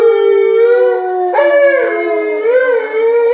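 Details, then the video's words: Indoor Alaskan Malamute howling so people outside know it is in the house: a long, steady tonal howl that jumps up in pitch midway, then wavers and rises again toward the end. "Malamutes making their presence known"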